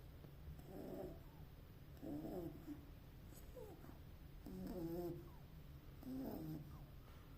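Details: Beagle puppy snoring while asleep: soft rasping breaths with a faint squeaky whistle, about five snores spaced one to two seconds apart, low steady background hum.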